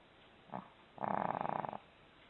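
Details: Dog snoring before an abrupt wake-up: a short snort, then a rough, rattling, rapidly pulsed snore of under a second, with faint background hiss.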